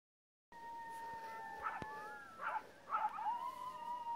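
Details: Several coyotes out in a field howl in long sustained tones, broken by bursts of quavering yips.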